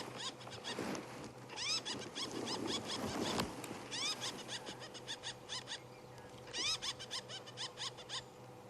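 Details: On a sunrise safari drive on March 4, a squirrel sitting just ahead gives alarm calls, chattering rapid runs of sharp, high, chirping notes with brief pauses, over a faint low hum.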